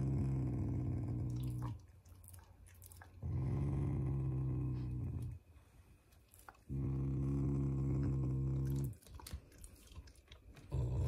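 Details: Pet Shiba Inu growling playfully in affection toward its family, not in anger; deep guttural rumbles about two seconds long alternate with quieter breathing and soft rustling indoors.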